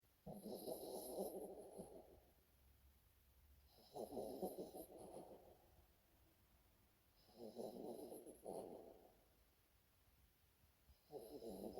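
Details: A pet dog, Podo, snoring loudly in a human-like way. Four long rasping snores, each lasting about two seconds, come roughly every three and a half seconds. Quiet pauses separate them, and a faint hissing edge sits above each breath.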